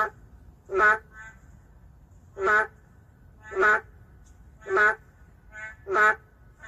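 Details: Endangered boreal digging frogs calling in an urban setting: loud, reedy harmonic croaks about every second, answered by softer calls from a second frog in between, with low background noise.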